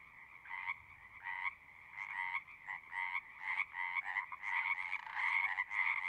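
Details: Frogs singing, rasping pulsed croaks coming in short bursts about once or twice a second, starting quiet and sparse and building into a louder, denser overlapping chorus toward the end.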